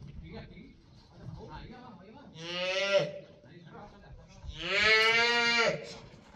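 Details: Female calf being worked in bullfighting training with a muleta at a private bullfighting school's ranch, giving two loud, harmonic bawling moos, the second longer and rising slightly before falling off, over low scuffing and faint voices.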